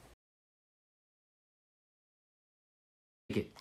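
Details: Near silence broken only by a brief clipped sound at the start and a short burst of voice at the end.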